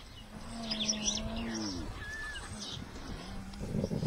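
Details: A spotted hyena makes low, drawn-out groaning tones in a careful greeting, where hyenas must act subservient to a dominant female or older sibling or kin; small birds chirp in the background.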